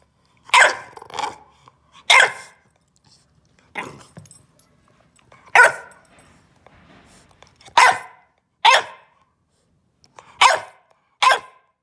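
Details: Bulldog puppy Ollie barks to protest being told not to chew the couch corner: eight short harsh barks, some in quick pairs, coming in bursts roughly every one to two seconds in a quiet room.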